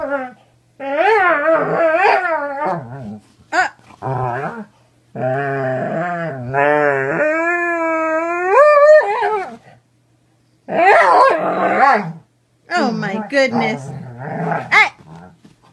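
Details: Domestic Doberman giving a run of bent, wavering howls and whines, some short and choppy, some drawn out and rising, broken by pauses, with a burst of rapid vocal sounds near the end.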